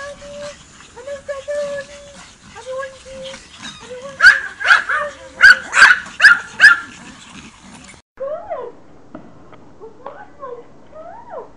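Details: Pomeranians greeting their owner on her return from vacation in a happy reunion: high whines at first, then a burst of sharp, loud yips roughly every half second, then quieter rising-falling whimpers, with human voices throughout.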